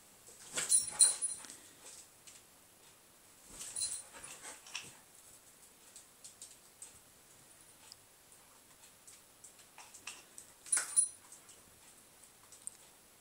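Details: Border Collie catching bubbles during training on a couch indoors: irregular breathy, hissing bursts with quick snaps, loudest near one, four and eleven seconds, quieter huffs scattered between.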